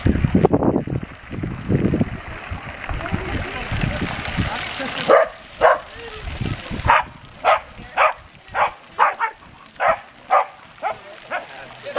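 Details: Corgis playing in a pool at the Country Kennel Dog Water Park during an Arizona Corgi Club meeting, June 19, 2016; voices and splashing fill the first seconds, then sharp barks repeat roughly twice a second.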